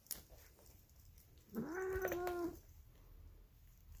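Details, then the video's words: Female polydactyl cat making an odd, raspy, drawn-out vocalisation: a single one-second meow held at a steady mid pitch with a rough, buzzy tone and a slight rise at the start, otherwise quiet room noise. "Mutant Cat Makes Weird Cat Noises She Sounds Like Marge Simpson"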